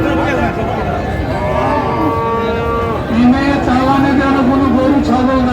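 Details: Friesian and crossbred bull calves at the Raniganj cattle market in Dinajpur on 20 March 2025. A long, steady lowing moo is followed by a second, lower, slightly wavering moo, over busy crowd chatter and men talking.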